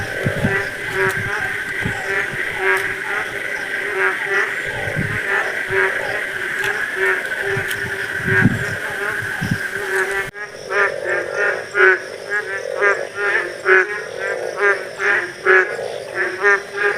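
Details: A chorus of frogs in a rural village during the rainy monsoon season calls with rapid, repeated croaking pulses, some voices low and others higher.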